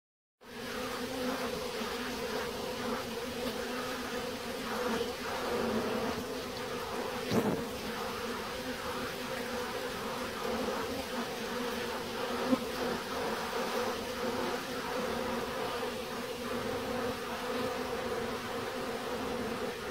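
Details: Bees buzzing steadily throughout, a dense continuous hum with droning bands and faint wingbeat flickers, a couple of brief clicks around the middle.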